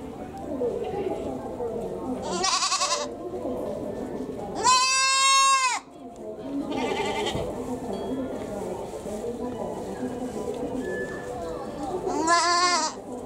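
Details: Zoo goat in Japan whose call resembles a human crying: several strained, quavering bleats, the longest and loudest near the middle lasting about a second, with visitors chatting in the background.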